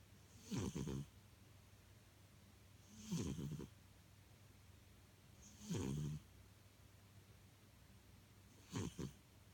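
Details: Domestic cat asleep and snoring, four low rasping snores spaced roughly every two to three seconds, each short with a soft hiss on top, quiet room between breaths.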